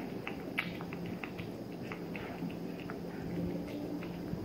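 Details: Three-month-old male Maine Coon Persian mix kitten eating: quick, sharp, irregular clicks and soft crunchy bites follow one another rapidly over a steady low hum.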